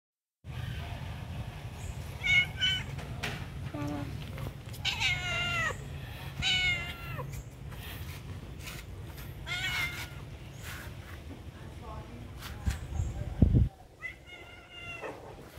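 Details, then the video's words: Hungry cat calling for food at a pagoda, several drawn-out harmonic meows rising and falling, some clustered close together, over a steady low rumble of outdoor background noise with a few clicks. "Handsome cat in pagoda calling to me hungry need food"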